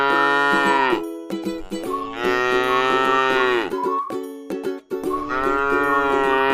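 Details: Tame cow resting in a rice field, giving three drawn-out, rich harmonic moos that rise slightly and hold steady, each about a second or more, with plucked string music and soft clicks running underneath.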